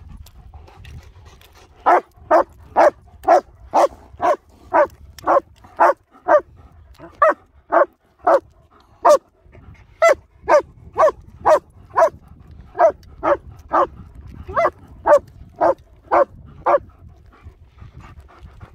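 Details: German Shepherds Nico and Zeeva, linked to Hawick and dog rehabilitation training, filmed on a Samsung S23 Ultra: a steady run of loud, sharp barks, about two per second, with brief pauses near 9 and 17 seconds, over a low background rumble.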